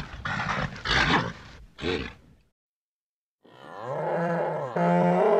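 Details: Nervous bull snorting in loud, rough, noisy bursts, then after a pause breaking into a rising, strained bellow that grows stronger toward the end.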